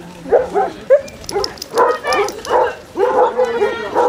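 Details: Short, throaty barks and a brief yelp from the 24 Basset Hounds walking Burnham and Berrow beach in Somerset in February 2014, overlapping in quick irregular bursts, with a person speaking faintly.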